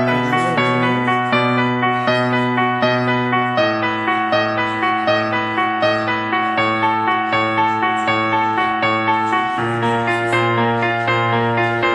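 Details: Soft piano-like music fills the recording, with held chords shifting every few seconds. No animal voice can be picked out.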